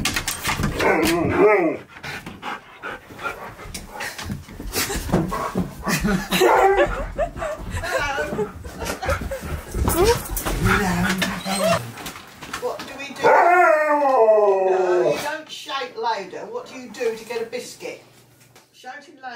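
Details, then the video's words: Pet Husky, happy while being given all of his favourite things, lets out wavering, harmonic-rich talking yowls that bend up and down, a short burst at the start and a longer run near the end, with a person chatting over most of it. "Giving My Husky ALL Of His Favourite Things! He’s So Happy!"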